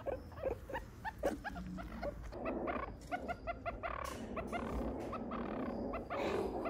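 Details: Meerkats at the Smithsonian's National Zoo Small Mammal House, Washington, D.C., where three pups were born May 10 to a 5-year-old mother and 6-year-old father: quick, high chirps and peeps in rapid, overlapping bursts over a steady background hiss.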